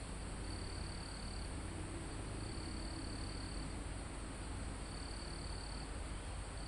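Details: Live recording of crickets in a mountain forest near the summit. Three longish high buzzing trills come about two seconds apart, set against a constant thin insect hiss and low wind noise in the trees.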